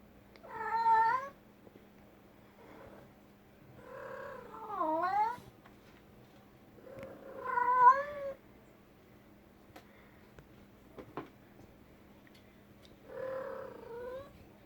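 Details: Female pet cat calling inside a room: long wavering meows, one dipping then rising, spaced several seconds apart against a low steady hum.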